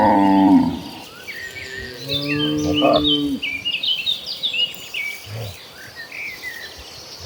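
Cattle low in deep, drawn-out moos, with birds chirping and insects trilling behind.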